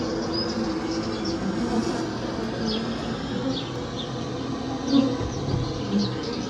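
A steady, droning hum of Maltese honey bees, with faint high chirps now and then above it.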